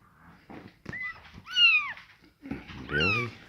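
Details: Scottish Fold kittens with rare coat colours meow indoors. Two clear, rising-then-falling mews stand out, with soft background rustling and a lower, buzzy voice under the second call.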